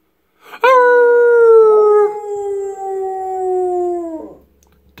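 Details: Pet pit bull Marvin howling while singing along with its owner: one long, steady, tonal howl lasting about four seconds that sags slowly lower in pitch before fading, then a brief quiet.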